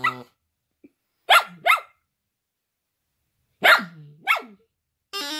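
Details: Shetland Sheepdog singing along with silly music, loud and off key: pairs of sharp, rising-and-falling yowling barks separated by silence, with brief musical tones at the start and end.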